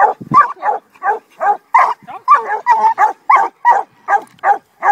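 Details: Two young Redbone Coonhounds, 7 and 8 months old, on a raccoon, giving rapid, repeated, harsh barks at roughly three per second in an uneven but steady run, with a brief low human voice at the start.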